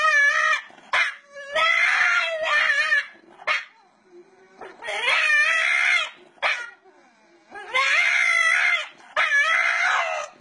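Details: Pet dog from a funny compilation giving long, wavering howl-like cries with stacked harmonics, three sustained bursts separated by short pauses and brief yips, loud and close.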